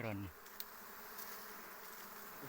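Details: Wild forest bees during a honey harvest, a steady, dense humming drone that holds level throughout after a brief burst of a man speaking at the start.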